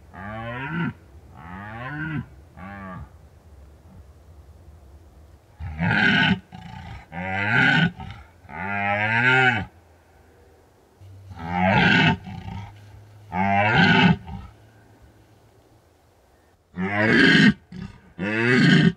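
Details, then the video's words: At peak rut in the Bucovina mountains, shy red deer recorded by an unattended drop rig; series of deep, harmonic groaning roars, some bouts run together as rapid grunts, separated by quiet gaps. "The scary sounds of red deer"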